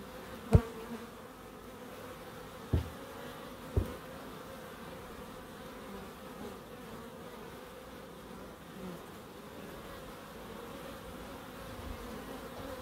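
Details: Bee buzzing in a small wildlife garden in Crookes, a steady low drone interrupted by three sharp knocks in the first four seconds, then an unbroken hum.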